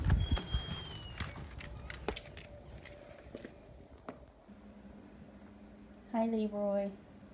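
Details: Manx cat, a tailless domestic breed, reacting to cold icy weather with harsh wind chills as it is brought inside. A short harmonic meow near the end, after footsteps, knocks and a person talking.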